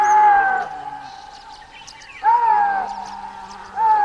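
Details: Chital, the axis deer, calling in clear, high, whistle-like notes that drop in pitch and linger; three calls spaced about one and a half seconds apart, with faint chirps in the background.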